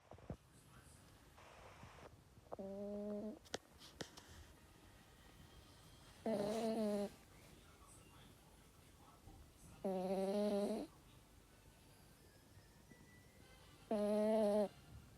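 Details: A sleeping toy terrier snoring in nasal, tonal wheezes, each about a second long, four of them spaced roughly three to four seconds apart. Quiet breathing fills the gaps between them.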